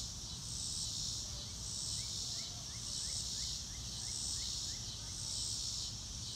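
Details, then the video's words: Crickets in a real-time nature recording with no music: a dense, high-pitched insect chorus that swells and fades about once a second, with short faint rising chirps at mid pitch and a steady low rumble beneath. "Nature Sounds - Real Time - No Music - Meditation - Crickets"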